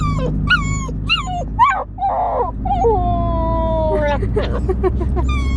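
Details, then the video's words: Siberian Husky howling at close range: a run of short, wavering, whining howls, each sliding up then down, followed by a longer, steady drawn-out note and more quick yelping howls, over a steady low hum. "the Husky is howl"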